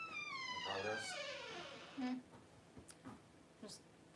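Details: Newborn Cavalier King Charles Spaniel puppy, just born to Paris during whelping: one long, thin, high whine sliding steadily downward, followed by quiet human talk and soft handling noises in a small room.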